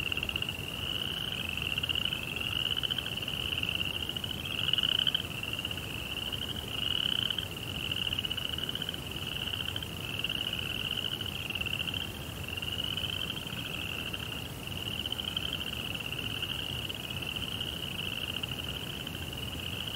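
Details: Crickets at night in a Japanese Zen rock garden by a koi pond, a steady high pulsing trill from several overlapping callers, with a fainter lower buzzing band and soft background hiss.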